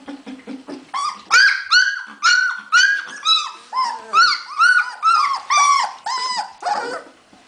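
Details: Hungarian Vizsla puppies recorded on 15 February 2011, giving a run of loud high whimpers and yelps, each a short arched whine with rich harmonics, about two per second, preceded by soft low grunts.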